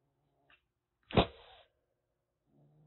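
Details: Rescued stray calico kitten, about one and a half months old, caged in Kagoshima, Japan, hissing threateningly: one sharp explosive spit at once trailing into a half-second breathy hiss, faint room noises before and after.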